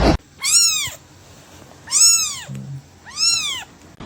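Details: Domestic cat in a funny pet compilation giving three arched, harmonic meows about 1.4 seconds apart, each rising then falling, over a quiet background with a faint low thump between calls.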